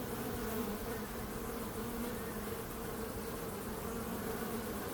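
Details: Bees produce a constant, layered buzz, low and wavering slightly in pitch, with no pauses and only soft background hiss.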